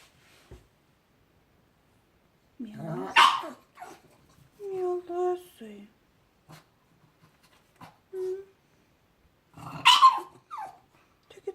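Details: A pug reacting as if seeing ghosts gives odd vocal sounds: short rough bursts and a few drawn-out, tonal whine-like moans separated by quiet pauses, with a sharper yelp-like burst near the end.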